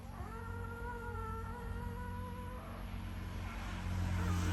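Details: Puppies crying: one long, steady, tonal whine lasting about two and a half seconds, holding its pitch with a slight downward drift, then stopping, over a constant low hum and background noise that grows louder at the end.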